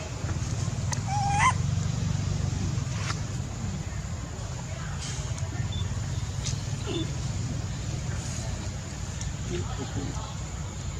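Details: Sweet pea, a baby monkey, cries because he is angry with his mother. A short, sharp, upward-sweeping wail comes early, over constant low-pitched background hum and distant human speech.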